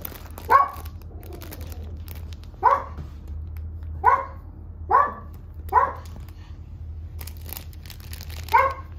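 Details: Three-month-old red Toy Poodle puppy Kurumi, a female born 7 May, indoors at a Machiya, Tokyo puppy house; six short bright yaps, spaced irregularly with pauses up to two seconds, against a constant low background hum.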